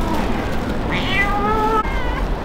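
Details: Street kitten left by its owner, crying: one drawn-out, wavering meow that rises and then trails off, followed by a brief second cry, over low traffic-like rumble.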